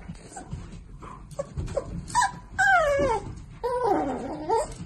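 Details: Miniature Dachshund indoors giving a run of high whimpers and yips: short thin cries, then longer drawn-out whines that slide downward, with soft rustling and brief pauses between calls.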